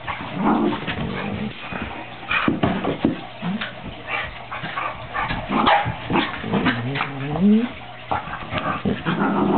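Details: Two 13-week-old puppies, Luce and Folly, at play: a scatter of short sharp yips and barks, with a rising whine near the end, over a steady low indoor hum and faint voices.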